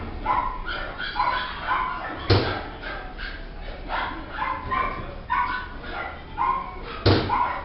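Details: Red female Shiba Inu puppy, born 2014, kept at a pet shop, uttering repeated short high whines and yips in quick series, with two sharp knocks or thumps.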